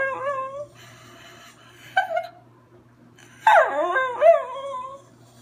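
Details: A schnauzer sings in drawn-out, wavering howls that slide up and down in pitch.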